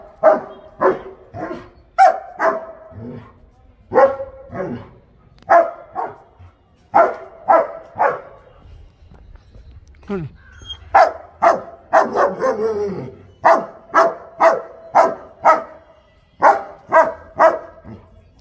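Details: Tied long-coated German Shepherd barks persistently before a vet visit: loud, harsh barks in regular bursts, roughly two per second, with short pauses between runs and a brief human voice midway.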